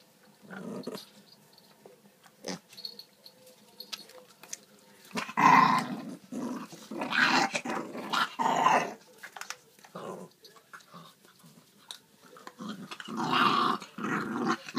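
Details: Dog growling while fighting over food, indoors in a small room: rough, noisy growls in bursts of one to two seconds with quiet gaps, some snorting, and clattering sounds in between.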